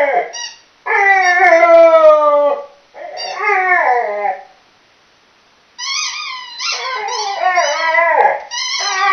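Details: Chocolate Labrador Millie howling during play with a squeaky toy; long quavering howls drop in pitch, then after a silent pause come rapid, choppy high yelping notes that bend downward.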